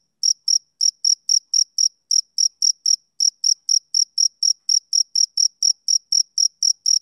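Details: Male cricket chirping on a summer evening: clean, high, pure pulses repeated about four times a second in a steady run, each chirp a short bright burst with a faint overtone, with no other sounds.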